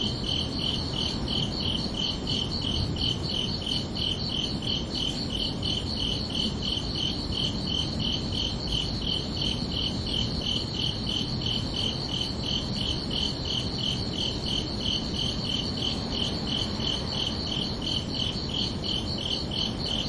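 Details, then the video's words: Summer-evening crickets sing at night, a long unbroken run of bright, regular chirps on two close high pitches, about two to three per second, over a low steady ambient rush. "Calming Cricket Sounds for Relaxation"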